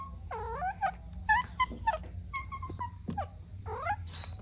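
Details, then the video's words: Kittens playing with their mother and two siblings give high, thin mews, about six short rising-and-falling calls in quick succession, over a low steady hum. "Adorable Kittens Playing with Mom & Two Siblings | Soft Meows"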